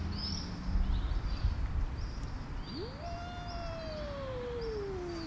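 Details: Angry tortie cat warning others off its food bowl: a low growl, then a yowl that climbs sharply and drags slowly downward for two seconds, with bird chirps scattered around it.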